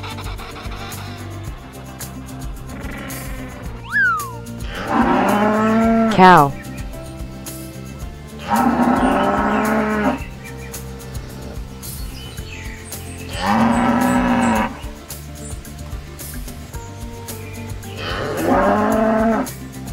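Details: Cow mooing four times, each low, drawn-out harmonic moo lasting over a second and spaced roughly four seconds apart, over soft steady background music with a brief higher tone just before the first call.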